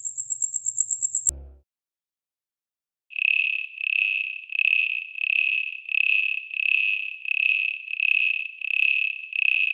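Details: Cricket calling: after a brief burst of very high, rapid ticking, a steady series of pure, high-pitched chirps repeats roughly every two-thirds of a second, evenly spaced and loud against silence.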